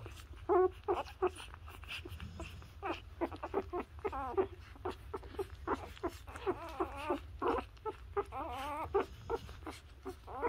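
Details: Newborn Labrador puppies suckling from their mother, giving soft wavering whimpers and squeals in irregular bursts, some rising and falling, amid clicking suckling noises and a low background hum.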